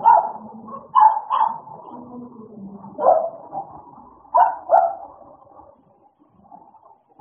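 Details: Pair of American Bully dogs at play, giving clusters of quick harsh barks, two close together near the start and two more later, over low grumbling vocal sounds, fading quieter toward the end.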